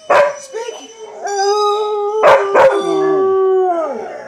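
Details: Chocolate Labrador Retriever howling: a short opening yelp, then a long steady harmonic howl, two abrupt barks, and a final sustained tone that bends downward and trails off.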